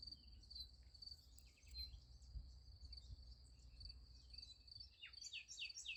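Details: A sunflower field at night carries an unbroken high cricket trill, with brief sharp clicks early on and a quick run of bright, sweeping chirps in the final second over a dull low rumble.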